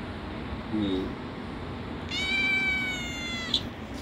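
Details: A house cat, one of many kept indoors, gives a single long, high, steady meow with rich harmonics lasting about a second and a half, after a faint short call, while a woman speaks Bengali nearby about feeding.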